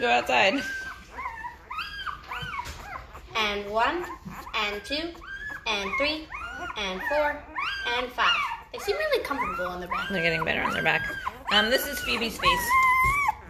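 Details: A litter of Great Bernese puppies, five days old, from a Great Pyrenees mother and a Bernese Mountain Dog father: a dense, continuous chorus of shrill, wavering squeals and whines, many overlapping, some held and bending upward.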